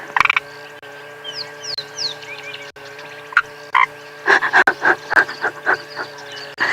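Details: At sunrise in the African bush, a frog hidden somewhere in the safari vehicle gives short, clicking croaks in an uneven burst, about three a second, over a steady engine hum; a few high, sliding chirps come earlier.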